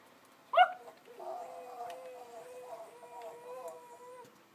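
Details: Domestic dog howling toward other dogs, not allowed to bark; a bright yelp opens, then a long sustained wavering howl that dips and rises slightly before fading out.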